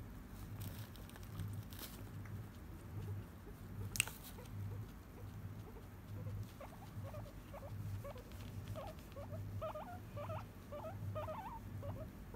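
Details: A tame, friendly guinea pig in Japan makes a run of short, squeaky purring notes, repeated in a quick stuttering series.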